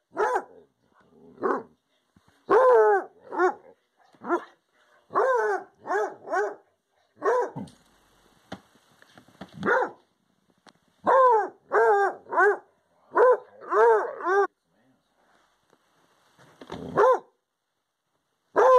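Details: Redbone Coonhound howling at a porcupine visitor, giving repeated short arched bay-howls in quick bursts of two to four, with brief pauses between groups.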